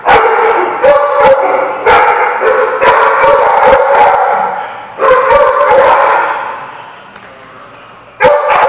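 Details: Dogs barking at a lot on 12 June 2015, loud repeated barks with drawn-out howling yips between them, several bursts over about eight seconds, with a faint whistle-like tone in the background.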